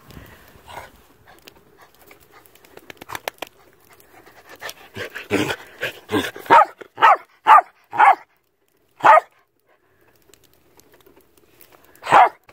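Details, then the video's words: An old Shetland Sheepdog (Sheltie Collie) on a farm barks in the snow, trying to get someone to come play. Short, sharp barks burst in a quick run around the middle, with softer panting and rustling before and one last bark near the end. "Do you want to play in the snow? Sheltie Snow Zoomies"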